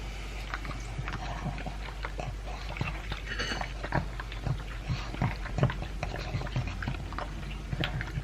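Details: Elvis, a two-year-old pug, eats his dry food mixed with chunks of beef: close, irregular crunches and wet clicks come every fraction of a second over a steady low hum, with louder bites near the middle.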